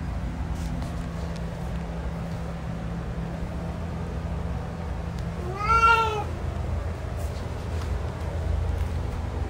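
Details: A male cat lets out a single short meow, rising then falling, in the middle of a long stretch of low background rumble with no other voices.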